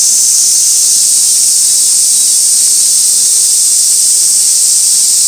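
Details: Continuous cicada song at Gaikotsu Mountain on 2 August 2024, captured with a stationary camera by an old sawtooth oak tree: high, sizzling buzz forming a constant wall of sound.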